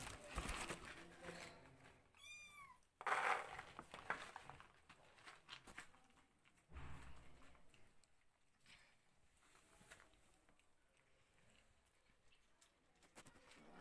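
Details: Kittens and their mother cat enjoying a new place indoors; a single high, arching meow rises and falls around two seconds in, followed by a short second cry, then soft rustling and handling noises.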